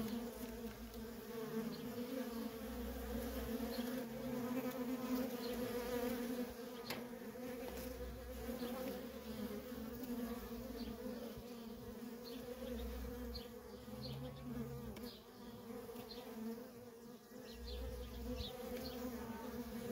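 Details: Feral colony of honey bees with nonstop worker traffic; a continuous, even buzzing drone holds for twenty seconds, swelling slightly as individual bees pass nearby, over soft low background rumble.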